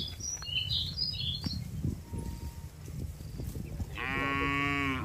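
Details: Tame cattle herd being driven from a wide green field toward the pen; a single moo rises near the end, a short harmonic bellow over steady low trampling and light bird chirps.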